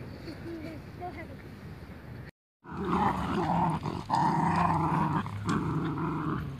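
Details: Husky Corgi puppies at play, soft rumbling noise at first, then after a short gap a steady run of low, rough growls and grumbles with rapid pulses, continuing to the end.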